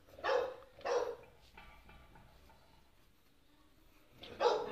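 A Chow Chow puppy gives two quick high-pitched yips, then a third after a short pause.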